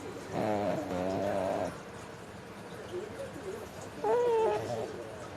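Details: Mame the pug, fast asleep, snores once with a harsh, wavering rasp, then after a short lull makes a brief high nasal whistle-like squeak.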